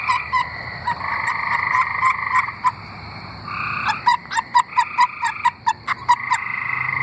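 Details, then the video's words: Tree frogs singing in Arkansas: a chorus of sustained, pulsed trills alternating with bursts of short, sharp notes repeated in quick succession, several frogs overlapping. "Singing tree frogs"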